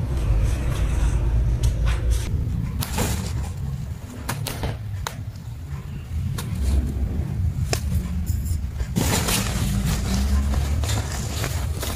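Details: Indoor rumble, thumps and sharp clicks of cats and kittens playing in a tunnel fill the recording, with a low steady background drone and no meows or other animal calls.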